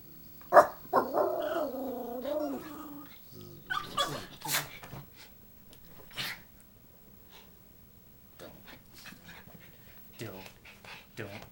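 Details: Schipperke reacting to a buzzing "monster" indoors: a wavering whine and growl for about three seconds, followed by scattered short barks and sharp noises, with a man speaking.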